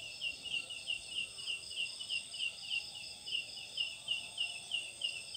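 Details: A large leaf-like katydid calling at night from a jackfruit tree gives a steady, high-pitched pulsing call, roughly three pulses a second. The call is likened to a chick or bird, and in Sundanese myth it is called "ciang ciang".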